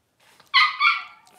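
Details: Twelve-day-old Blenheim Cavalier King Charles Spaniel puppy, one of a litter of five born over New Year's 2023, gives a brief high squealing whine in two quick pulses that fades and drops in pitch, with a quiet room behind.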